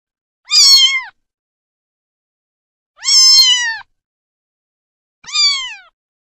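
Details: Three short, high-pitched meows from a cat, evenly spaced about two and a half seconds apart, each slightly falling at the end; otherwise quiet.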